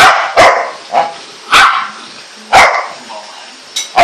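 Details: Four-month-old Golden Retriever puppy, tied up, barking in loud sharp bursts about once a second, six barks with short gaps between them.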